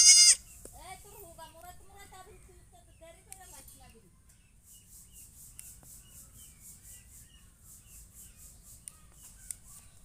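A goat gives one long, wavering, nasal bleat that quavers up and down before fading.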